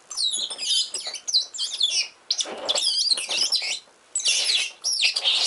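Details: Richardson's ground squirrels fighting while digging: dense bursts of high, shrill, rapidly warbling squeaks and chirps, coming in overlapping runs with brief pauses between them.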